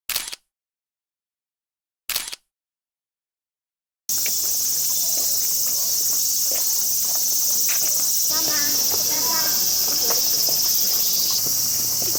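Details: After two short noise bursts and silence, a continuous shrill cicada drone fills the rest of the recording, made at a temple in Iwate or Miyagi, Japan, during the 2023 summer heat, with people talking over it.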